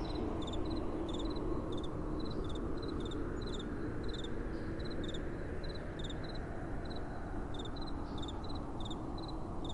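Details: Night-time crickets with gentle wind blowing. Bright, high chirps of a few quick pulses sound roughly twice a second, sometimes doubled by a second insect, above a constant deep whooshing wind.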